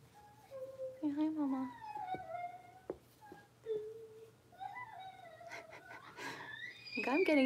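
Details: Blenheim Cavalier King Charles Spaniel puppies, six weeks old, from a New Year's litter of five raised in a home puppy pen: drawn-out tonal whines that slide downward, brief squeaks between, then a louder wailing burst at the close.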